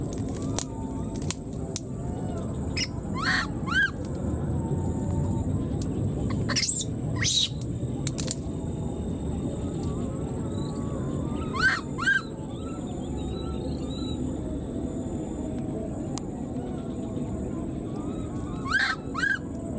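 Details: High harmonic squeals come in separated bursts from a wild baby monkey left behind by its mother and calling for her, with soft short peeps between them, broadband clicks and a steady background hiss.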